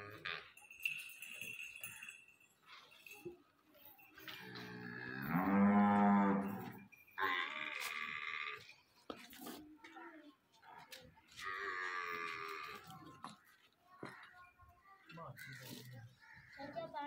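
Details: Nili-Ravi buffalo in Punjab, Pakistan, recorded 21 May 2021, letting out one long, loud, deep moo lasting about two seconds, with background music and speech before and after.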